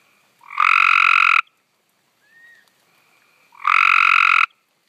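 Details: Cope's gray tree frog singing loudly at close range: two harsh, buzzy trills about one second long, separated by a two-second gap, with a faint brief whistle between them.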